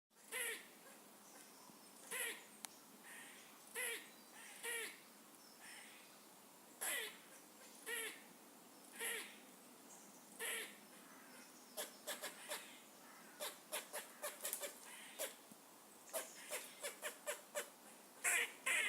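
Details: Squirrels making funny noises: loud, harsh, harmonic barks about every second and a half, later giving way to quick clicking chatters and short sharp bursts near the end.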